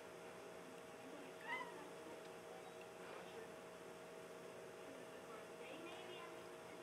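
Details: Tobie, a pet cat staring out the back door at birds on a weekend, gives a faint odd meow: a short rising harmonic call near the start and a wavering one near the end, over steady indoor hum.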